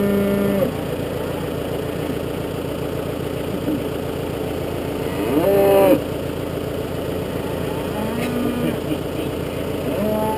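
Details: Galloway cattle on a farm where suckler cows are being fed, a wild Galloway bull among them; several short, rising moos break through a steady low engine drone.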